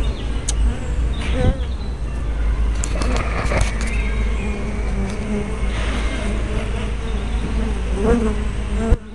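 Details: Buzzing of several bees flying around a beehive entrance on 24 May 2012, captured with a spy camera: layered low hums that swell and fade as individual insects pass near the microphone, plus scattered clicks and handling noise.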